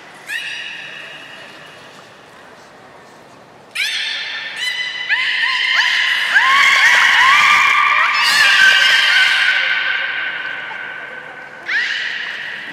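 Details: Port of Nagoya Public Aquarium belugas Gray, Nana and Nico, recorded 1 January 2019 in a training session following the 16:00 show. A held whistle gives way to a loud, dense stretch of overlapping squeals with curving notes, then another short whistle.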